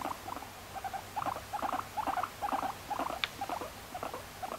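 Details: Pet female guinea pig Moru-chan, adopted at one and a half years old in May 2019, gives short repeated chirping chut notes in clusters, about two per second, mid-pitched with a few soft rustles between; no background music.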